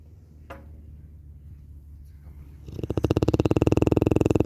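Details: Cane Corso Larissa and her strange snoring: a quiet stretch with a soft click, then a loud, rapidly pulsing, gravelly snore starts up and carries on to the end.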